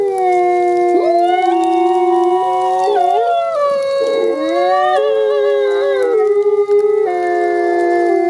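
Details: Two sibling gray wolf ambassadors at a wolf conservation center howl together in a synchronized song, long sliding tones overlapping at different pitches.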